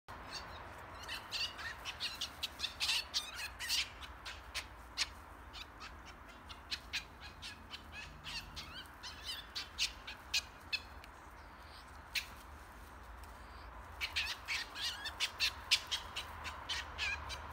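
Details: Two European polecats fight during a walk near Emmeloord, Netherlands, so busy that at first they do not notice the people watching. They give bursts of harsh, clicking chatters and shrill squeaks in rapid clusters.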